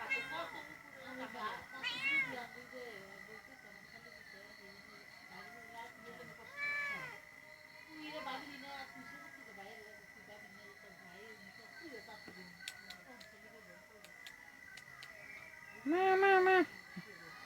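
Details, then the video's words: Pet cat uttering several soft, arching meows spaced a few seconds apart over a hum of background noise, finishing with one loud, sustained, clear meow near the end. "cat sound sound effect"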